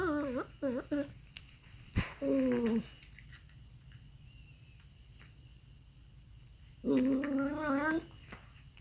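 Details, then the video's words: Aardvark giving short, nasal, harmonic calls: a quick burst of wavering bleats at the start, a sharp click near two seconds, a falling drawn-out cry just after, then a long quiet gap before a final wavering, warbled call; quiet indoor background. "Weird sounds from Aardvark"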